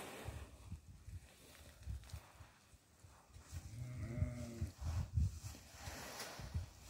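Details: Goat being given barley: one short, wavering, nasal bleat rises midway and fades after about a second, set against low rumbling handling and movement noise with soft thumps throughout.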